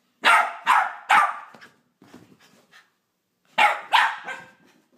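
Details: Pepper, a Jack Russell terrier puppy, barking indoors in the morning while running around full of energy and waking her owner: three loud, sharp barks in quick succession, a pause with softer scuffling, then two more sharp barks.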